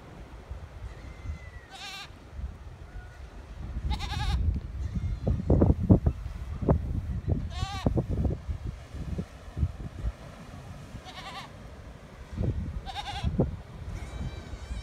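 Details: Wild goats walking along the coast of Cape Verde, Africa: several wavering, nasal bleats at irregular intervals, some short, some drawn out, over steady low rumbling noise and scattered thumps.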